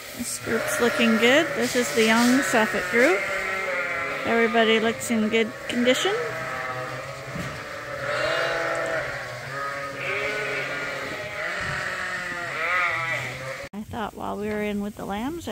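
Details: Many lambs at Ewetopia Farms, still on their mothers and topped up twice a day on a hand-made bottle feeder, bleat over one another in a dense, overlapping chorus of wavering mid-pitched cries, with speech mixed in.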